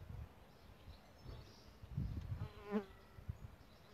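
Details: Solitary bee nesting in a bug hotel: a brief, buzzy drone with stacked tones swells and fades near the three-second mark over a low outdoor rumble, with faint bird chirps far behind.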